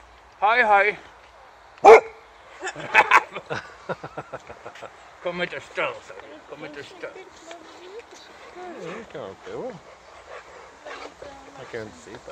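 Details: Boxer named Rex greeting an old friend again a year after their first meeting, happy and at first wary. A high wavering whine and a sharp bark come in the opening two seconds, then softer yelps under people talking.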